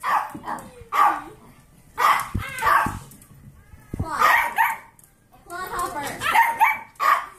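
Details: Loud yaps and barks come in clusters while Kirby, an 8-year-old Pomeranian foster dog, plays with 8-week-old golden retriever mix puppies; a human voice speaks over parts of it.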